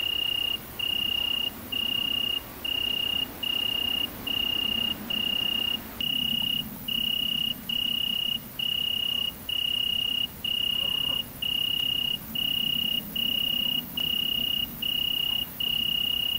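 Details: Great green bush-cricket (Tettigonia viridissima) during mating, recorded in central France's countryside on 22 August 2016. Steady, high-pitched buzzing pulses repeat about once per second for roughly sixteen seconds, with a faint low background hum.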